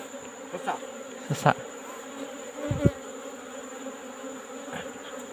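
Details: Asian honey bees (Apis cerana) from a wild colony in a rock cavity, disturbed during afternoon comb removal: a constant droning hum under sharp handling knocks and taps.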